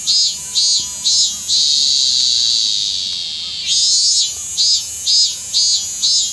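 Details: Minmin cicada in Kanagawa, Japan, recorded 25 August 2010 and singing late in the season; rhythmic pulsed phrases about twice a second give way to a sustained shrill drone, which fades, then the pulsing resumes.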